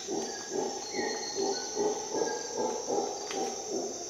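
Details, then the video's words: Costa Rica jungle at dawn, where a howler monkey produces rhythmic low grunting pulses about every half second. A short whistled bird note and a bright, steady insect drone are also heard. "Howler monkey sounds"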